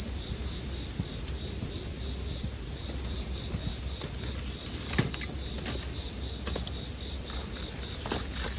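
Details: Bell cricket chorus as a steady, bright ringing tone, with sharp crackles and pops of a campfire scattered throughout, for relaxing sleep listening.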